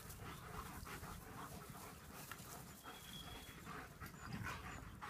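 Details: Playing German Shepherds pant softly, a fast run of airy, rhythmic breaths continuing throughout over a faint, even background hiss.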